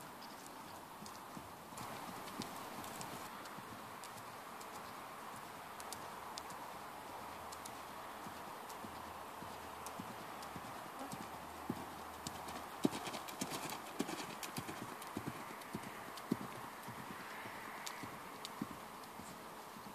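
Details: Hoofbeats of Ferozza, a mare born in 2009: sharp, irregular clopping strikes over a steady broadband hiss, growing louder and denser after the midpoint, with a few strong knocks near the end.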